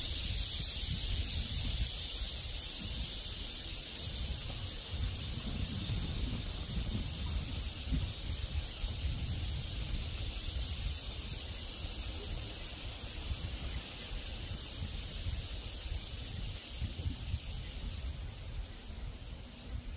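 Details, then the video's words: Cicada chorus in the open, a sustained high hiss-like drone that never pauses, mixed with rumbling cool wind that fades slightly toward the end. "시원한 바람이 분다 매미소리"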